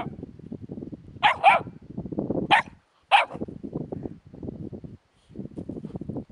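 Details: Several sharp puppy yaps rise above steady low rustling and scuffling as the young dogs investigate a hedgehog, with short pauses between the barks.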